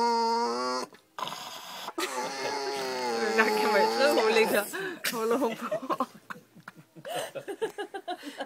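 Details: Pet dog Maja, recorded indoors on 9 July 2011, talks at the dinner table to get attention: a long steady whine, then warbling, wavering yowls that rise and fall like speech, ending in a run of short rhythmic grumbling pulses.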